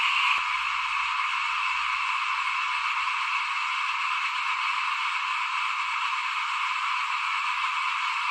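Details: Frogs calling outside a house at rice sowing time in 2021. A brief click opens, then a massed chorus runs on as a steady, shimmering high-pitched drone without breaks.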